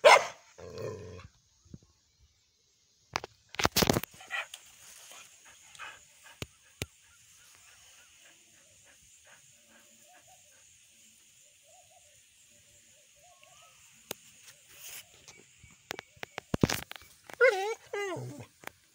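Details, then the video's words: Indian Spitz barking in sharp, scattered bursts: a couple of loud barks near the start, isolated yaps through the middle over a steady high hum, then a rapid cluster of barks and a whiny rising call near the end. "Indian Spitz barking"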